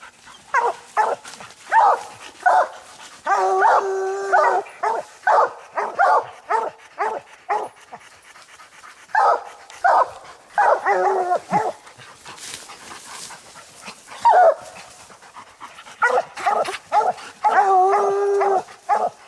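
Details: Coon hounds Lucky, Mossie and Star bay up a tree holding a raccoon on a hunt; quick repeated barks run in bursts, broken by a few longer harmonic bawls, with brief pauses between volleys.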